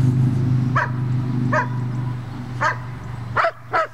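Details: Puppy during bitework training gives sharp single barks, five spaced irregularly over four seconds, over a steady low engine-like hum.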